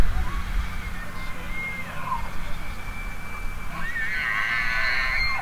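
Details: An elk bugle: a long, thin, steady whistle holds its pitch for several seconds, then breaks into rising squealing notes near the end. Heavy low rumbling wind noise is present throughout.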